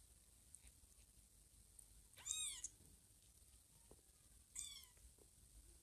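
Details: Kittens Teddy and Chloe putting foster kitten Blackie to sleep indoors while the mother cat is away; two brief thin high mews about two seconds apart, soft and quiet, against low background hiss.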